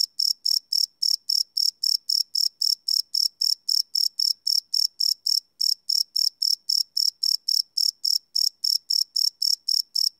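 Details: Chirping crickets recorded at night on a Sony PCM D100 field recorder; a steady stream of piercing high pulses, about four a second, continues throughout with only slight unevenness in spacing.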